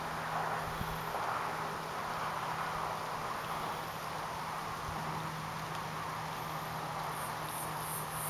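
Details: Male broad-winged bush katydid, Scudderia pistillata, singing an atypical call in the Oldman River valley, Lethbridge, Alberta, apparently answering another male's advertisement song; a quick run of about five high, short pulses closes the final second, over steady low hum and hiss.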